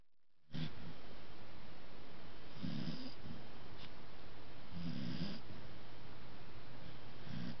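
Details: A male corgi snores softly while held asleep, with low, rumbling breaths about every two seconds.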